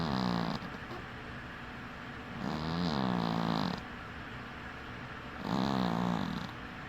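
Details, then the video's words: Winky, a dwarf cat, sleeping with one eye open, snores in slow rhythmic breaths: three rasping, low buzzy snores about every two and a half seconds, each with a faint airy hiss on top, quiet pauses between. "Snoring cat"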